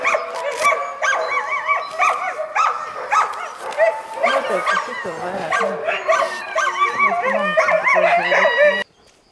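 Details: Eager Alaskan Malamutes carrying backpacks at the start of a long hike near Mežpils. Bouncy, warbling woo-woo vocalising and quick yips pile up from several dogs. Lower moaning notes enter near the end before the sound cuts off abruptly.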